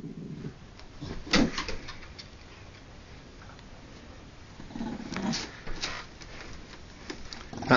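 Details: Winston, an old deaf Jack Russell Terrier, indoors and unhappy at being found after going missing. Two low, rumbling growls, one at the start and another around five seconds, with clicks and rustling movement between them.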